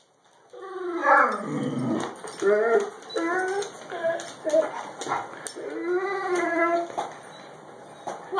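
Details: A very vocal pet Great Dane gives drawn-out, wavering whines and moaning yowls that rise and fall in pitch, in several bursts over eight seconds, while a person talks to it.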